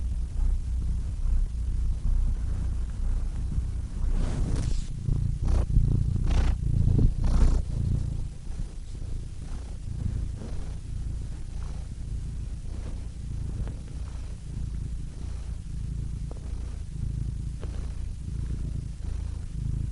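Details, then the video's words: Cat purring in a low, rough rumble, with a burst of rustling or snuffling noises in the first half before the purr settles into a quieter, even drone. "Cats Purring Soothing Sound Effects (Relaxing Cat Sounds)"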